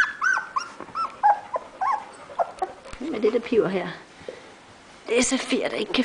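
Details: Labrador Retriever puppies 17 days old, newly on four legs; Safir whimpers, unable to find its family. High, bending whines come in quick succession, then a person talks while lower grumbling whimpers continue.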